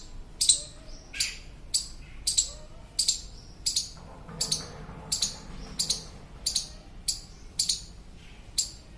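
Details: Indian squirrel (gilhari) calling to a companion that became lost from its group: a steady series of sharp, high, clipped chirps, about thirteen in nine seconds, roughly one every 0.6 seconds, over a faint low background hum.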